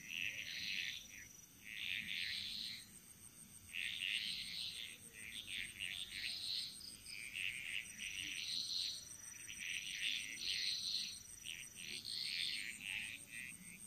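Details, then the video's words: Chorus of frogs in the jungles of Bali, Indonesia: grating croak bursts of about a second each, repeated roughly every two seconds in loose rhythm, above a persistent thin insect whine. "Frog Mantras - Relaxing Sounds Of Bali"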